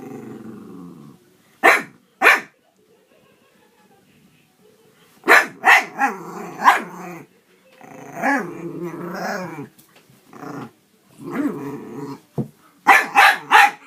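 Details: Pet dog growling and barking in play with a cat, making strange noises; bursts of harsh rumbling growls with wavering pitch, broken by sharp short barks and quiet pauses.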